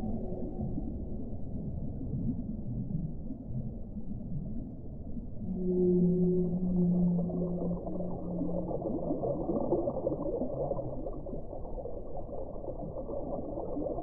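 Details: Whale singing a long, low, steady moan that holds for about three seconds midway, with a fainter higher tone above it, against continuous deep rumbling water noise.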